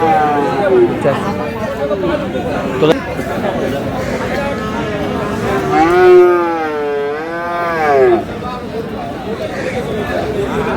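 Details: At Aftabganj cattle market in Dinajpur on 22 July, a Friesian or crossbred bull calf gives a short moo early on, then a long wavering bellow lasting about two seconds, over buyers' chatter and a brief knock.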